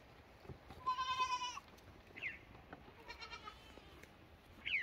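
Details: Lamb bleating: one long, wavering, nasal bleat followed by shorter, higher calls rising at the end, over a quiet background.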